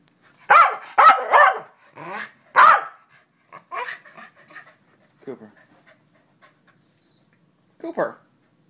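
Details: A male corgi gives a burst of loud, yowling barks, then softer grumbles and one last bark, responding as he is repeatedly asked what he wants.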